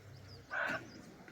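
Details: Barking deer giving repeated alarm calls very close by in dense forest at Jim Corbett, Uttarakhand, while dogs also bark; one short, sharp, loud bark-like burst with a bright harmonic band, over a low rumble of background noise.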